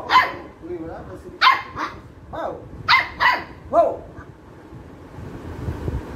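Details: Angry Labrador retriever puppy barking at play: six loud sharp barks in the first four seconds, then quieter background.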